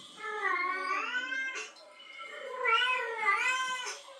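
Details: Two long, quavering yowls come from a female cat in heat that has heard a male calling. Each swells and dips in pitch, and there is a soft lull between them.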